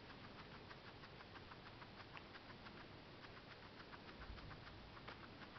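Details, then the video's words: A female guinea pig eating parsley: a rapid, steady run of crisp crunching chews, several bites each second, over a constant background hiss. "Guinea pig eating parsley"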